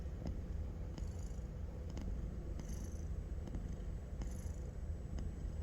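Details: A domestic cat in deep, sound sleep snores softly: a steady low rumble with faint breathy hisses returning about every one and a half seconds, plus a few light clicks.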